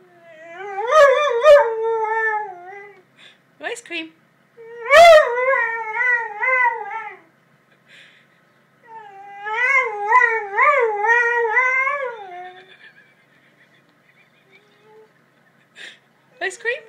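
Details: Lurcher singing to the arriving ice cream man, a daily habit: three wavering, yodelling howls of two to four seconds each, separated by pauses, with short spoken words from a person in between.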